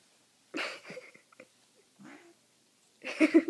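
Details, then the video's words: Pet cat Butter rolling on a blanket sprayed with catnip, indoors; two short throaty meow-like bursts with a softer murmur between, in a quiet small room. "Cat on catnip"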